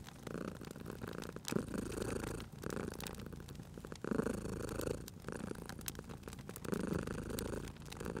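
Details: Cozy cat purring at a crackling fireplace, low rhythmic rumbling rising in surges every couple of seconds, with brief quieter gaps between breaths and scattered pops from the burning logs.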